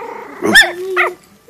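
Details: Tiny five-week-old female teacup Yorkshire Terrier, 2014, barking at her own image on a phone camera screen: two shrill puppy yaps half a second apart, with a faint human voice in the background.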